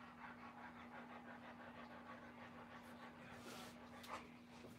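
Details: Doberman Pinscher at a 2021 litter of puppies being born, rapid rhythmic panting breaths of about three to four per second for roughly three seconds, then breathier and rustling, over a steady low electrical hum.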